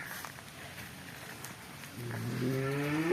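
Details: Cattle kept as Jallikattu-type bulls and young bulls: after a murmur of background noise, a deep moo begins in the last second, rising and swelling in loudness before it is cut off.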